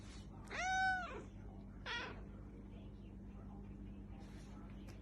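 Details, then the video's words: Domestic cat indoors giving one long arched meow, then a shorter second meow about a second later; a person talks to it in French and English. "Cat Sounds"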